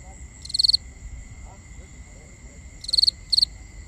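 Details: Crickets at night in binaural nighttime ambience: short high chirps, each a quick run of pulses, one burst near the start and two close together near the end, over steady faint high tones and low rumble.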